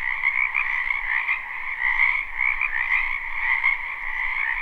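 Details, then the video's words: Croaking frogs in a wetland during spring, recorded live: a dense chorus of buzzy, overlapping trills holds steady, with soft swells in volume and a light low rumble in the background. "Ambient Noise for Sleep Frogs"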